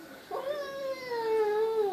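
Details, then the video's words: Perseus, an SPCA-adopted cat talking to himself in the mirror, lets out a quiet, drawn-out moan that starts abruptly, holds a low, slightly wavering pitch and sags gently toward the end. "Perseus the cat talks to himself in the mirror"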